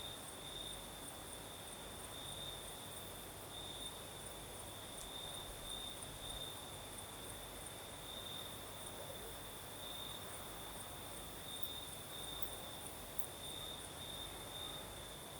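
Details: Crickets sing through a Crimean night with a light breeze: a clear, sustained high-pitched trill that swells and fades in short stretches, over a quiet hiss of background air.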